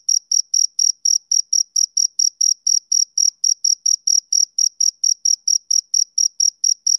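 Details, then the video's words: Steady rhythmic chirping by a male cricket on a summer evening: bright, high pulses repeating about three to four times per second at an even level, with no background sounds. "Cricket Chirping Sound Effect"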